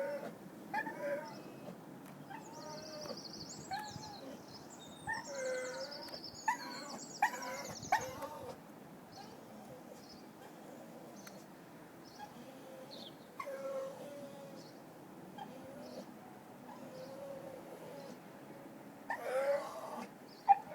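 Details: A lonely dog cries in drawn-out, tonal whines that rise and fall, scattered irregularly over about twenty seconds, with short high chirps near the start and quiet background hiss.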